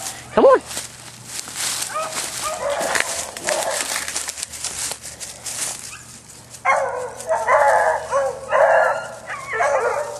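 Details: Male dog Bouncer, being urged on with calls of "come on, let's go", gives a burst of loud drawn-out baying barks in the second half after human voices and scuffling.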